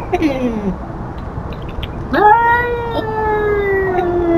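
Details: Feral cat Tubs telling off an intruding cat: a falling moan, a pause, then a sharp rising onset into a long, steady, harmonic yowl held to the end.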